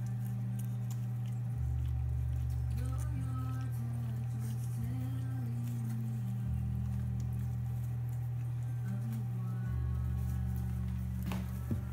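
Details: Soft background music with a sustained low drone and a gentle melody plays quietly indoors, without any animal sound.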